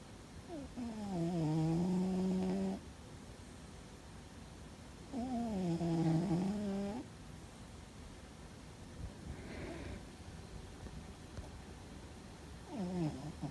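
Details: Fuzzy, a pet cat, sleeping and apparently dreaming, snores loudly indoors: three low, droning breaths of about two seconds each, pitch dipping at the start then holding steady, returning every four to five seconds with quiet pauses between.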